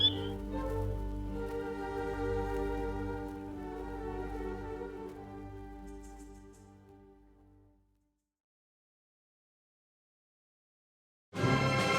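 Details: Orchestral string music with sustained bowed notes fades out by eight seconds into silence, then an abrupt burst of broadband noise closes the clip, with no animal sound heard.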